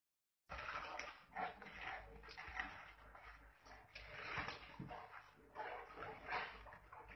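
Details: Wild boar. Fighting wild boars give harsh, noisy squeals and grunts in uneven bursts that swell and fade. The calls are rough and broadband, with a few higher whining notes between the louder outbursts.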